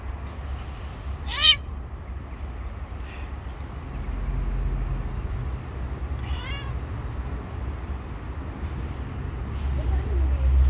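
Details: Stray cat living on the street, giving two short harmonic meows, one near the start and another mid-clip, over steady low traffic rumble and faint street noise.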